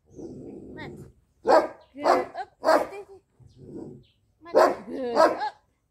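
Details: Two-month-old jet black female Belgian Malinois puppy, Lucy, in training: five sharp broadband barks in two clusters about half a second apart, with soft praise from a handler beforehand.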